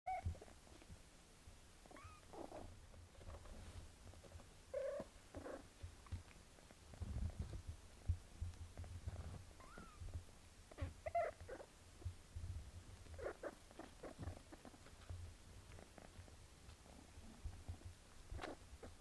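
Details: Domestic mother cat Melania bathing her kitten daughter Pinky indoors; a steady low purr runs throughout, overlaid with soft wet licking clicks and a few faint brief tonal squeaks.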